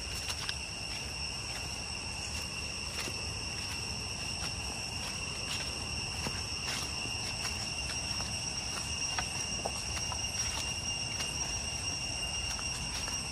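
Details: Jungle cicadas near Chhay Yong Waterfall in the Areng area of Koh Kong Province, Cambodia, keep up an unbroken shrill whine of stacked pitches, while scattered footsteps and light rustling tap beneath it.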